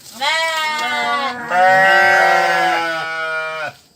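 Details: A sheep gives a long, quavering bleat that wavers in pitch and runs over three seconds.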